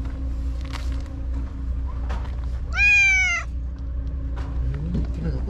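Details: White stray cat by the tetrapod breakwater, back and lively after missing all day yesterday, gives one loud, drawn-out meow that rises then falls, with a person talking before and after and a steady low rumble behind.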